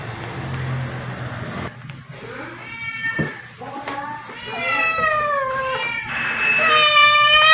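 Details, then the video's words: A young calico rescue cat wrestling with her adoptive mother indoors, filmed at 2:05 AM on 9 July 2021 on a phone; rising and falling drawn-out meows with clear harmonics grow louder toward the end over a low hum. "Paprika the Calico Has Become Powerful and Overpowers Her Adoptive Mother Pepper During Wrestling"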